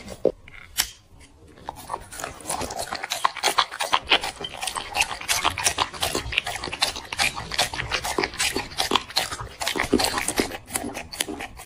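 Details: Black dog eating chicken and vegetables off a plate: steady rapid crunching chews, roughly three per second, each a bright crisp snap, continuing almost without pause.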